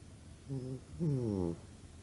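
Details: A sleeping pug snores: two low, rumbling nasal snores in a quiet room, a short one followed by a longer, louder one lasting about half a second.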